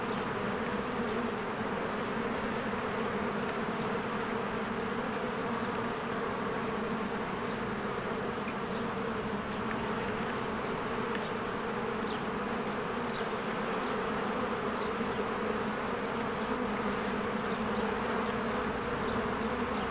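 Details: Honeybees flying in and out of their hive in spring, with flowers in bloom: a dense, unbroken droning hum with a low steady pitch that holds evenly throughout.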